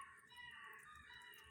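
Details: A puppy heard from beyond the gate at night, crying, gives a thin, high, drawn-out whine that wavers slightly in pitch.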